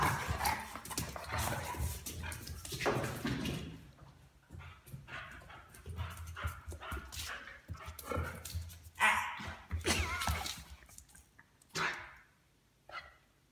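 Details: Young Weimaraner puppy annoying a very patient adult Weimaraner; sharp barks and harsh growling bursts come in an active first half, then sparser snaps and yips with quiet gaps toward the end.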